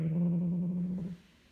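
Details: Hulusi, a pet cat guarding a toy mouse indoors, growls in a low steady rumble for about a second before it fades, while the owner asks whether it will share with the other cats.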